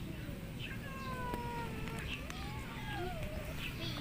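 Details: Lonely, hungry cat meowing very loudly; several drawn-out, falling meows with rich harmonics, one sliding up then down, while people talk nearby.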